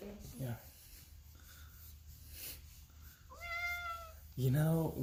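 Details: Pet cat indoors, being shown bird videos made for cats, gives a single drawn-out, slightly falling meow midway, then a man's voice speaks loudly over it at the end.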